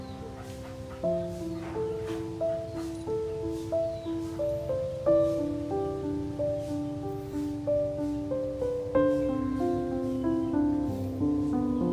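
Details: Gentle instrumental lullaby of plucked, bell-like notes stepping through a slow melody, with no animal sounds heard.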